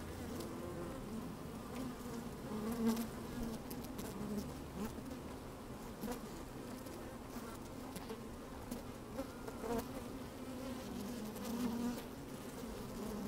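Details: Inside an open beehive on a sunny, slightly windy day, honey bees moving about and occasionally buzzing; continuous layered droning hum with short rising buzz notes and scattered crackling taps.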